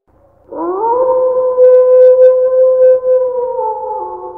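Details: Wolf howl as a relaxation sound: one long, smooth tone that swoops upward at the start, then holds steady for about three and a half seconds with clear overtones before easing down slightly at the end.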